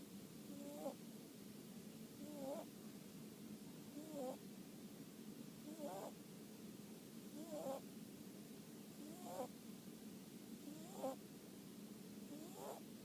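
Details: Sleeping rabbit snoring on a Sunday afternoon: soft rhythmic snores about every 1.7 seconds, each with a short squeaky rising whistle over a breathy rasp, eight in a row against a quiet indoor hum.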